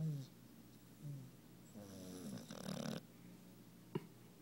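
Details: A worn-out puppy named Alli, a female dog, snoring while deeply asleep after a fun day, twisted up behind another dog: low rumbling snores with a rasping breath near the middle and a faint click near the end.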